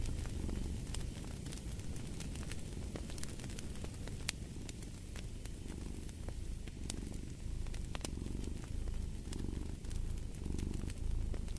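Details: A cat's low purr rumbling alongside fireplace sounds, its throbbing cycles growing more distinct toward the end, mixed with sharp wood crackles and a faint hiss.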